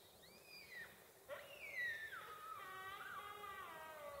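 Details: Rutting sika deer in an enclosure: a short falling whistle, then a louder sharp whistle that glides down into a long wavering, descending tone with rich overtones.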